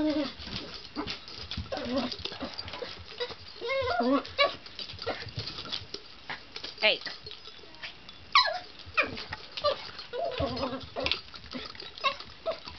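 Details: Seven-pound poodle excitedly pushing a teaser ball around obstacles like a coffee table, making happy sounds: short high whiny yelps and squeaky vocal bursts scattered through, with a person's voice and some music nearby.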